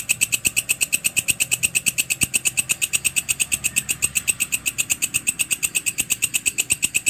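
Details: Walang kecek grasshopper, used as training audio for cage birds, produces rapid regular rasping ticks, about three each second, bright and high, continuing unbroken with a soft low background rumble.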